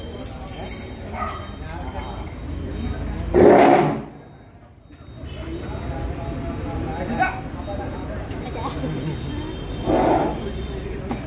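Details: The elephant Pampadi Rajan gives two loud, harsh roars a few seconds apart, over a steady background hum, after its mahout picks up a stick.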